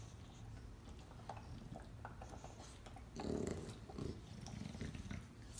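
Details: English Bulldogs sharing a bone while chewing; one growls low and rumbling, with two louder throaty surges near the end.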